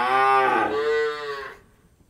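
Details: Cow on an Indian dairy farm giving a single loud moo of about one and a half seconds. It starts strong and rich, then settles into a steadier, slightly rising tone before cutting off into near silence.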